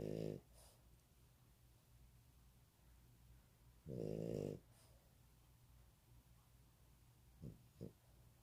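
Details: Sleeping pet dog snoring indoors beside its owner: two loud, rasping, harmonic snores about four seconds apart, each roughly half a second long, then two short faint snorts near the end; quiet room between breaths.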